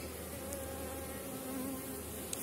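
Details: Honey bees from a strong colony near the end of the season, buzzing as a beekeeper inspects a hive frame full on both sides; a steady dense drone with faint tones near 300 and 550, plus a brief tick near the end.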